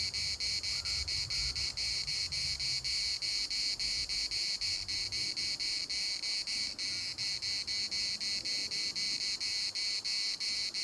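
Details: Larnaca municipal park cicadas in full chorus: a continuous high, buzzy drone with rapid rhythmic pulsing, a few faint overlaid notes, and low wind rumble early on.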